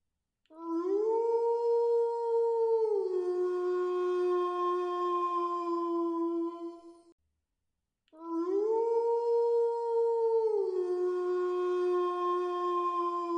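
A wolf howls twice, each howl lasting about six seconds. The tone swells upward, holds a clear level pitch, then slides down to a lower note that carries on before fading, with a short silence between the two.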